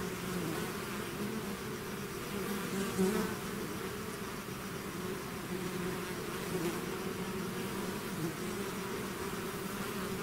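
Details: A bee swarm outside its hive produces an even, low droning buzz throughout, with soft swells as insects fly nearer the microphone.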